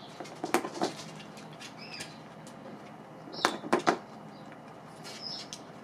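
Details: Domestic guinea pigs chewing dried apple pieces: brief crisp crunches early on, then a louder cluster of bites midway, separated by quiet stretches with a few faint high squeaks.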